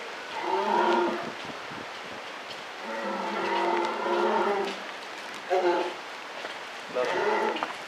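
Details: Captive polar bear at Maruyama Zoo, October 2013: softer, wavering moans, one long call in the middle and shorter bursts around it, set against faint background hiss and enclosure noise.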